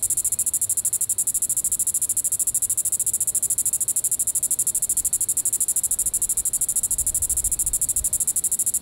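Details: Evening call of a Diceroprocta vitripennis cicada, Sand Hills State Park, Reno County, Kansas, July 20, 2014. An unbroken, shrill, finely pulsed high-pitched buzz runs throughout over a quiet background.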